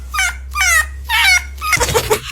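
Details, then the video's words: A fox gives three high, nasal yelps in quick succession, followed by a rougher, wavering cry. "THIS IS A FOX, AND THIS IS WHAT IT SOUNDS LIKE."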